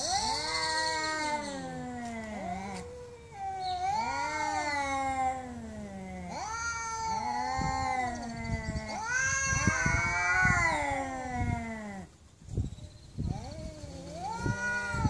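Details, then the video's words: Domestic cat, angry and meowing loudly and insistently, producing a near-continuous run of rising-then-falling wails with bending pitch, barely pausing between cries; faint clicks and background noise underneath. "MAULLIDOS de GATOS ENOJADOS"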